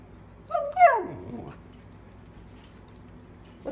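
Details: Samoyed puppy dog indoors giving a short whining call: a brief yelp sweeping up, then sliding steeply down into a low, drawn-out whimper lasting about a second, followed by quiet.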